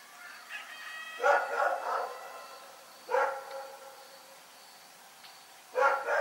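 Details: A dog barks at night in Pyrga, the barks coming in three clusters a few seconds apart, each a rough double or triple bark over a low steady hum.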